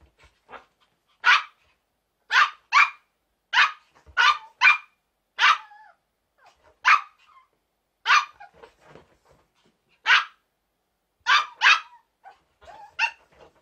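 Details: Play between two young Chihuahuas aged around seven and four months: scattered short, high-pitched yaps and yips, some doubled, with brief whiny squeaks between them and otherwise quiet surroundings.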